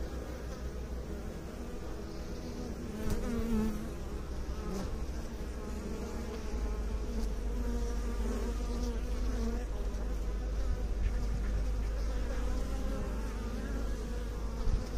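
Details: Honey bees (Apis mellifera) kept by beekeepers fill the air with a steady, low, droning buzz that wavers gently in pitch.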